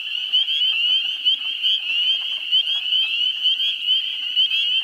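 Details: A dense chorus of spring peepers (Pseudacris crucifer) in a New Hampshire swamp in the first week of April gives high shrill peeps that overlap into a steady ringing din. Wood frogs are also calling in the background.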